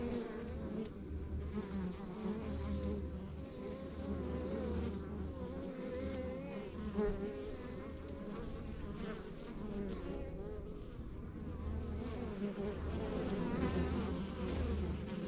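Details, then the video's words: Honey bees at a rural backyard beehive produce a continuous low, droning hum; single bees flying close add rising and falling whining buzzes over the even swarm sound. "Relax to the Sounds of Our Backyard Buzzing Beehive"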